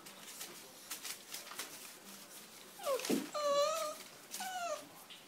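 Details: Bullmastiff puppies at bedtime, filmed in close-up indoors. Quiet room hiss, then a short swooping whine and two high, slightly wavering whimpers near the end.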